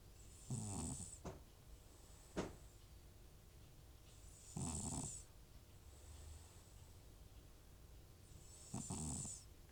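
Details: Sleeping elderly cat Butcher, FIV-positive and treated for sneezing and a runny nose, gives three loud rasping snores at about four-second intervals, each a gravelly inhale with breathy hiss, plus a couple of faint clicks between.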